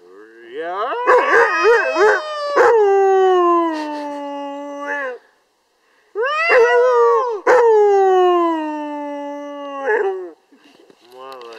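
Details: Siberian Husky singing: wavering, yodel-like howls that wobble up and down before gliding into a long falling note, two extended bouts separated by a brief silence, ending with short yelping notes.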